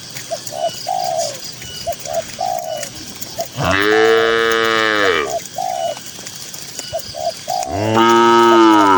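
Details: Tame cattle grazing together in a peaceful green countryside field give two deep, harmonic moos, the first swelling and falling over about a second and a half, the second cut off at the end, between runs of soft, repeated dove-like coos.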